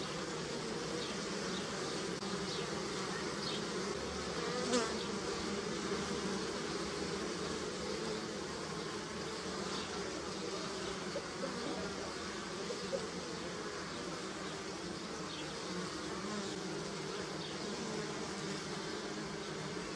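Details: Bees buzzing on flowering pussy willow: a steady, dense drone from many overlapping wingbeats, low and humming with richer upper tones, holding evenly for twenty seconds with a brief louder swell near the fifth second.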